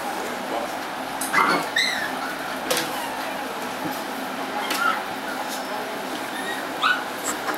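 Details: Doberman Pinscher puppies indoors, giving short high whimpers and yips, a few scattered over several seconds, amid a steady hiss and some human voices.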